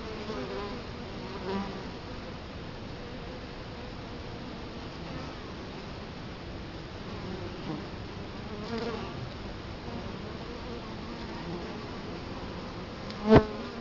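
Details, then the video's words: Steady hum of Italian honey bees at the entrance of their hive in Colorado Springs, October 2011, captured close in front of it; individual bees zip by now and then, one sharply loud pass near the end. "Bee hive Entrance"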